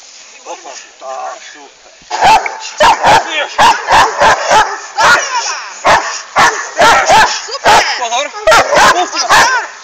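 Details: Jamaica Kralovska straz, a female Hovawart, barks repeatedly: after a few seconds of talking, a steady run of about fifteen loud, abrupt barks follows, spaced roughly half a second to a second apart, with voices continuing underneath.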